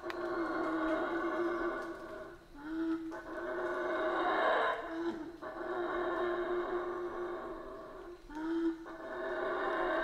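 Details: A steady, moderately distant chorus of howler monkeys in Central American rainforest: droning, rasping roars with brief dips and resumptions, one swell peaking near the middle.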